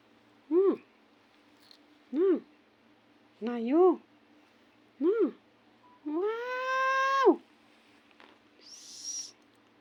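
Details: Kitten wanting to sleep gives a series of short chirping meows, roughly every second or so, then one long level meow, followed by a faint high squeak at the end.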